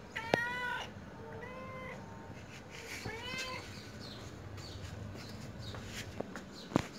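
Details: Pet cat trying to say something with meows: three clear, tonal meows in the first few seconds, each bending upward then down, followed by quiet room background and a couple of sharp clicks near the end.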